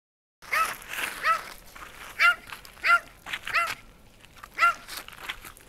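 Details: Martin, a shelter dog described as sweet and social, gives a run of about seven short, clear barks, each with a bright arching tone, spaced irregularly over a few seconds with quiet gaps between.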